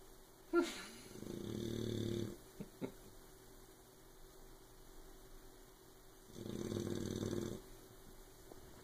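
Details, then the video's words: Oberon, a sleeping puppy, snores loudly enough to keep Tyson awake: two long, low, rumbling inhalation snores, each lasting about a second, with quiet breathing and a few faint clicks between them. "Snoring puppy"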